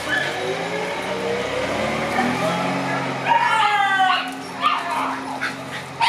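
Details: Black Shiba Inu puppies, six months old, playing outdoors; a drawn-out whiny yelp rises and wavers for about a second, with short yips after it and people talking throughout.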